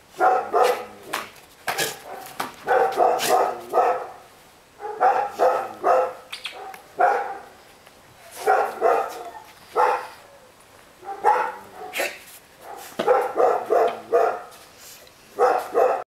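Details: Female Rottweiler barking in repeated bursts of several quick barks, each bout separated by short pauses, steady rough tone throughout the sixteen seconds.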